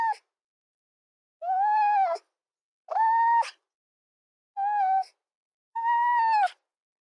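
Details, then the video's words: Fox giving drawn-out, steady-pitched harmonic whines, each about half a second to under a second long, five in seven seconds with a sharp click closing several; quiet gaps between, no other sounds. "Fox Soundscapes"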